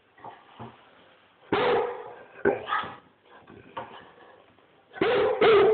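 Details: Rhodesian Ridgeback barking loudly: scattered soft huffs and whines, then two strong barks a second apart, a pause with quieter noises, and a closing pair of rapid, powerful barks.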